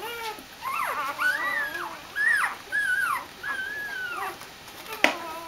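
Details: Dobermann puppies greeting their mother Jessica as she returns from a walk: a run of high, drawn-out whines that rise and fall in looping arcs, one after another, ending with a sharp knock.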